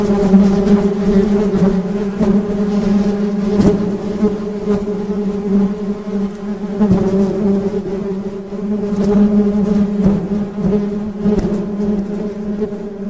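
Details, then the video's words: Honey bees hum in a constant, deep buzz with bright harmonics, the drone pulsing gently in strength while sporadic crisp clicks cut through. "Suara Tawon Madu"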